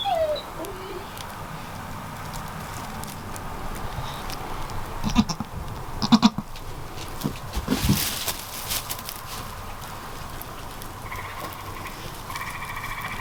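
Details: Newborn goat kids with moon spots matching their mother, faint wavering bleats at the start and a higher harmonic bleat near the end, amid steady background hiss and scattered handling knocks.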